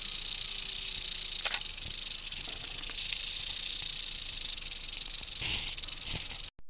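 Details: Rattling western diamondback rattlesnake, found on a road during road cruising in Arizona: continuous high hissing buzz with a few faint thumps, cut off abruptly just before the end.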